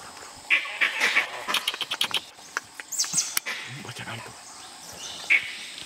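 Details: Dholes trying to hunt a big cat in Nagarahole National Park, India, give short, high whistles in quick bursts, with a final whistle after a pause.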